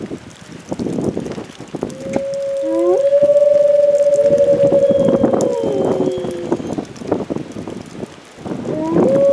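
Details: Captive wolves at Wolf Park in the Midwest howling during a Sunday storm with high winds, driving rain and sounding tornado sirens; a female leads with her two brothers joining. Long, steady, clear howls with gliding starts and overlapping voices over gusty rumbling wind.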